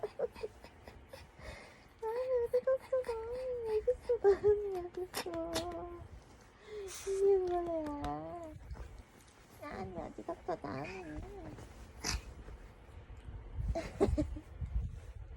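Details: Young Bichon Frise puppy giving its morning wake-up call to its owner indoors: wavering, whiny howled tones rising and falling in several drawn-out bouts, mixed with a woman's repeated Korean speech and calls.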